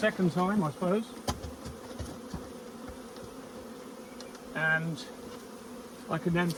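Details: Arriving honey bee swarm, described as huge: a dense, even drone holds for several seconds between short stretches of male speech at the start, middle and end.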